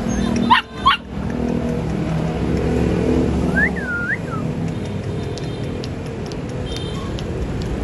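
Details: Golden Retriever. Two short, sharp barks from a Golden Retriever open the recording. A few seconds later comes a thin, high whine that rises and falls, all over a constant low rumble.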